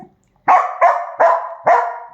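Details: Dachshund from a household pair, Kiko and Choco, lets out four loud, evenly spaced barks roughly every 0.4 seconds, each bright and abrupt with a brief ringing tail.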